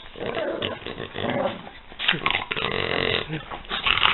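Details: Two French Bulldogs, Peanut and Daisy, playing together: snorty, rumbling growls with wheezy snuffles, rising into louder rough bursts near the end.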